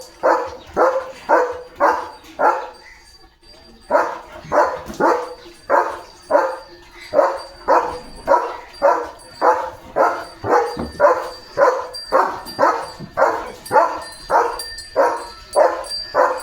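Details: German Shepherd, a trained dog, barking on command during a training session after being told cattle have come; loud, regular barks repeated about every second, nearly two a minute-long run, with a brief pause early on.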